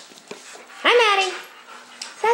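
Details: Indoors in the home of Satine, a blonde lab mix about two years old up for adoption through Partners 4 Pets in Troy, Illinois: a dog gives one half-second whining yelp that rises then falls, then starts another at the end, with quiet room noise between.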